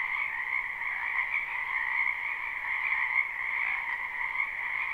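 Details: Many frogs calling in a spring wetland behind a home, recorded live: an unbroken, even chorus of trilled croaks layered thickly, with small swells in loudness but no silence between calls.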